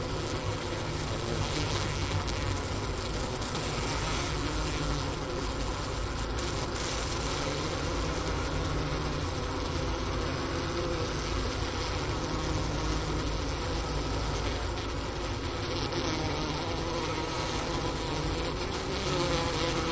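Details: Honey bee colony overwintering, recorded at the inner-cover hole beside a depleted sugar brick, Wooster campus of Ohio State University, roughly 4 PM on January 16, 2024, temperature 15°F. Long, steady, low hum that stays even throughout.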